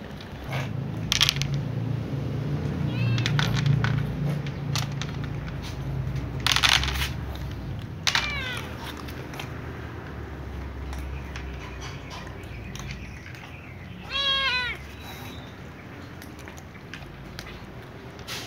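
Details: A little ginger cat and a young white cat meow before eating alongside other cats; a few drawn-out, bending meows stand out near the start, middle and end over steady crunching, chewing and a low rumbling background.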